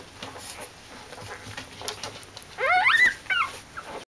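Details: Week-old Corgi puppies of one litter, quiet and faintly rustling at first, break into shrill whimpers that sweep upward and waver in a short run of overlapping bursts before fading.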